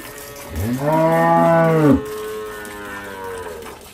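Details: Dairy cow at a farm in the countryside of El Salvador, among milking cows yielding 15 to 20 bottles: a loud, deep moo rising slightly and holding steady for about one and a half seconds, then a fainter trailing tone.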